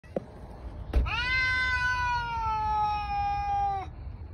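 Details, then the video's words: Male domestic cats outdoors yelling at each other without fighting: a long, loud, drawn-out wail with rich harmonics that holds steady and slowly sinks in pitch over about three seconds, after a sharp click. "Outside male kitties like to yell at each other but never fight."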